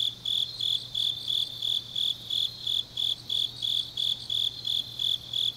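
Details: Grass insects on a deep autumn night in Changnyeong, South Gyeongsang, South Korea: high, pulsing chirps repeated about three times per second in an even rhythm, with a faint steady low hum beneath.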